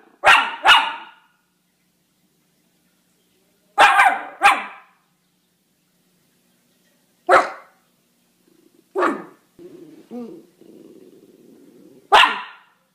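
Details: Miniature Schnauzer giving harsh barks, some in quick doubles, spaced a few seconds apart, with a short low grumbling whine near the end.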